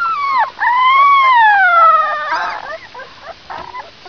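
A wolf pup gives a high, wavering howl that dips, swells and slowly slides downward.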